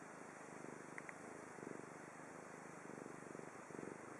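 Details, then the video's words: Chibi, a domestic cat in Japan, purring steadily indoors: a low, rough rumbling in pulsed bursts, rising and falling with each breath about once a second, with a brief faint high chirp near the start. "Chibi cat Again making cute noises ちび猫ちゃん にゃ"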